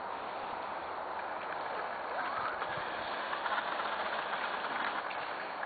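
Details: Steady broadband rumble like a passing train or vehicle fills the recording, with faint voices underneath and no animal calls.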